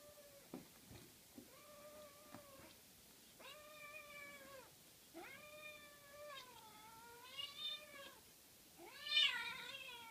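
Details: Cats at play, a Norwegian Forest cat with a 13-week-old Ragdoll kitten: a run of about six drawn-out, clear meows, some bending upward then falling, spaced one to two seconds apart, with a few soft thumps in a quiet room.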